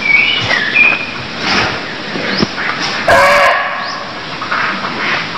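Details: Barking deer from Cambodia: a wavering harsh call early on and a louder rough cry after three seconds, amid continuous hiss and scattered high rising chirps.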